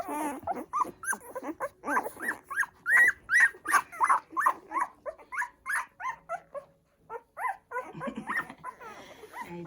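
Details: Newborn poodle puppies nursing on their first day of life, giving high squeaky whimpers and squeals in a fast, uneven series of about three per second, a brief pause midway, then more squeaks with faint human voices.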